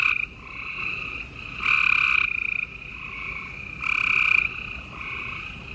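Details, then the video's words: Gray treefrogs singing after dark in Houston, Texas, April 28, 2020: two loud rattling trills stand out, about two seconds apart, above a constant layer of fainter trilling frogs. "Gray Tree Frogs Chorus"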